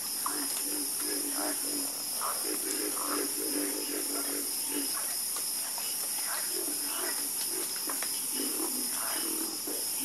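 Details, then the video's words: Chorus of frogs croaking, dense and overlapping, with many short low croaks layered into a continuous murmur beneath a steady high-pitched hiss that runs throughout. "the Calming Sound Of Harmonious Frog Croaking"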